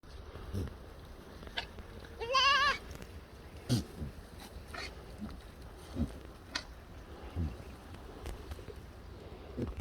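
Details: Korean black goat on a black goat farm in Gimhae, South Korea, giving one short, wavering, nasal bleat of about half a second, with quiet knocks and scattered farm noises before and after.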